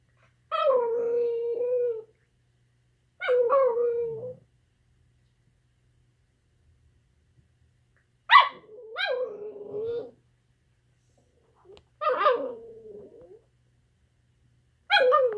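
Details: Miniature chocolate schnauzer talking to a Peekapoo: five drawn-out, whiny vocal bursts with a steady tone and yelping onsets, each lasting one to two seconds and spaced a few seconds apart in a quiet room.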